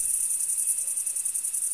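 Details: Crickets in a field chirp in a steady, high, shimmering trill that pulses rapidly without a break.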